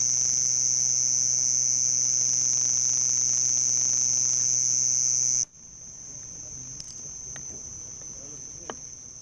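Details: House cricket at Hammam Lif, Gulf of Tunis, summer nightfall, males calling before burrow entrances near houses: a piercing, continuous high-pitched trill held for about five seconds, then carrying on more faintly with a low hum underneath.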